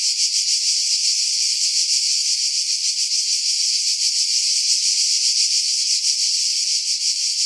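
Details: Pine-tree cicadas on Skiros Island, Greece, in July 2018, about 50 m above the sea; an unbroken, intense high buzz throbbing several times a second, no other sounds.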